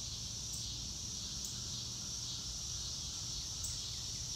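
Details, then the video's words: Steady shrill cricket chorus outdoors under a blue sky, an even high drone with a few faint clicks and no other clear sounds. "Nature Sounds - Real Time - No Music - Meditation - Crickets"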